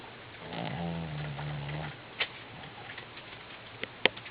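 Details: Cocoa, an elderly Shih Tzu, sleeping soundly at home while snoring: one long, low buzzy snore lasting about a second, followed by quieter breathing and a few sharp clicks in a small indoor room.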